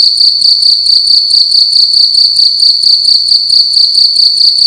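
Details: Indoors at night a single cricket sounds off loudly, a bright high trill chopped into rhythmic chirps repeating a little over twice per second, clear and uninterrupted.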